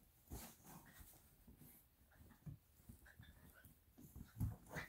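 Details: Eight-week-old Italian Greyhound puppy biting a bed indoors gives a run of low, rapid, rough growling pulses, irregular and several per second, rising to a couple of louder growls near the end against soft background hiss.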